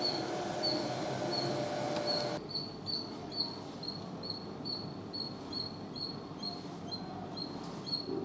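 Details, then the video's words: Rapid squeaky chatter from a squirrel, quick high chirps repeating more than twice a second, first over a rumbling noisy background that suddenly drops away to quieter hiss. "Squirrel Sounds Squirrel Chatter Squirrel Noise making Sound"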